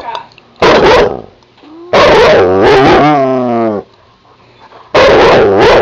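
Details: Siberian Husky, a new pet dog, barking at a household cat, filmed 14 March 2009 at 4:18 PM; three loud harsh outbursts, the first short, the middle drawn into a two-second wailing howl, the last an abrupt bark.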